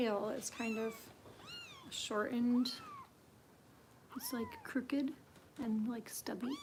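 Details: Bottle-fed foster kitten Harper with Kitten Rescue volunteers in Los Angeles: bursts of short, bending, high-pitched mews, interleaved with a woman's voice speaking to her indoors.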